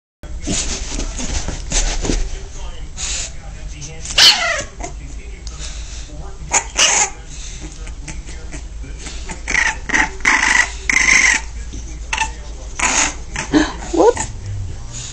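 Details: American Pit Bull Terrier puppy, angry with its owner, giving short harsh barks and growly bursts in quick irregular runs, with a few whiny rising squeals, mixed with a person talking in the background.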